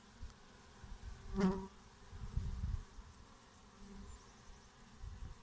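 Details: Bees dying after plant-protection pesticide treatments, 7 May 2017: a short, low, humming buzz swells and fades near one and a half seconds, a fainter buzz follows near four seconds, over low rumbling background noise.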